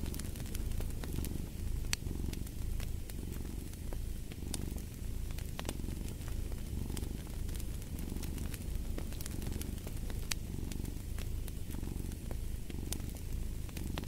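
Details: Rhythmic cat purring that rises and falls with each breath in a regular cycle, accompanied by the constant crackle of a fireplace.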